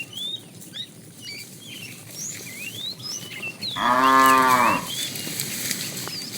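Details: Herd of tame cows being driven in the afternoon, a fat cow calling the female; one short moo of about a second near the end, preceded by steady bird chirps and twitters.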